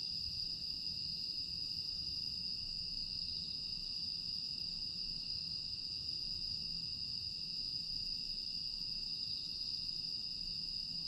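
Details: Aewol, Jeju, night of 25 August 2022: grass insects keep up a constant piercing ringing drone, unchanging across the whole stretch, set against a quiet low background rumble.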